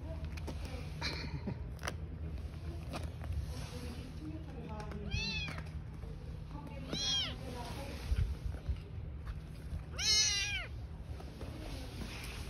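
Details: Street-living mother cat and newborn kittens: three arched, harmonic meows rise and fall after a quiet stretch, the last one loudest near the end, with steady low traffic-like hum and faint human voices behind.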